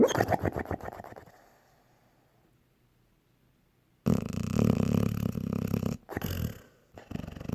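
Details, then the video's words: Honey, a sleeping pet dog, snoring: about a second of rapid fluttering, rumbling pulses, a quiet pause, then a long rough, noisy breath with brief breaks near the end. "Honey snoring like a cartoon dog"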